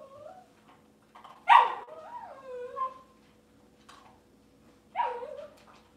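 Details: Cavalier King Charles Spaniel puppies indoors on a kitchen cam: high thin whimpers and yips, one loud rising-then-falling whine near the middle and another short whine later, with quiet room hum between.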